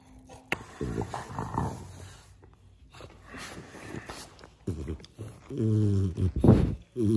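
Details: French Bulldog begging indoors: snuffling grunts and low growly murmurs, then a run of nasal, wavering whimpers and whines in the last seconds, each drawn out and rising, with faint human speech in the background.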